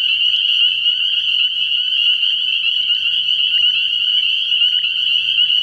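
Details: Spring peepers at a nighttime frog pond in early spring, innumerable high, piercing peeps blending into one steady, unbroken shrill chorus from start to finish.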